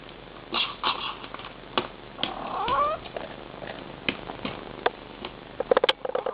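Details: Mother cat speaking to her kittens: brief chirrups and one rising, squeaky meow, followed by a cluster of sharp clicks and rustles.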